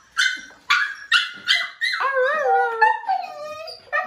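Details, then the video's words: Five-week-old foster puppy Bubbles, unhappy at being brought indoors for dinner while a brother eats her food: sharp high yelps open, then a long wavering howl slides downward in several bending tones. "5 week old Puppy howl"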